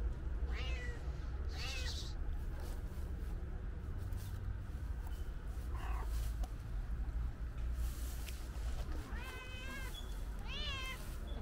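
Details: Loud calico cat meows, as if wanting to tell its owner something: several rising-falling harmonic meows spaced through the recording, two close together near the end, over constant low-pitched background rumble.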